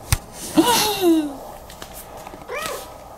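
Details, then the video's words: A cat, asked to meow if happy, answers with a drawn-out, falling meow, then a shorter, fainter one about two seconds later, after a sharp tap in a quiet room. "요지 행복하다면 야옹해"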